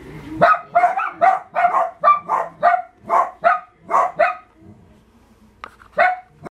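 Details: Four-week-old dachshund puppy: a fast run of about ten high, yappy barks roughly every third of a second, a short pause, then two more barks near the end.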